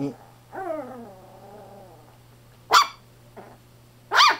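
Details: Fawn male Chihuahua-Poodle mix puppy, born on July 9, gives a drawn-out whimper that starts higher and slides downward with a wavering tone, followed by two short, sharp bursts of sound in a quiet indoor setting.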